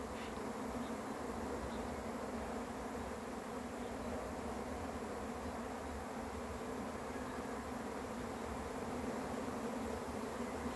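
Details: Swarm of honey bees arriving, a dense steady buzzing drone with a strong low hum that holds unbroken throughout, with a few faint high chirps near the start.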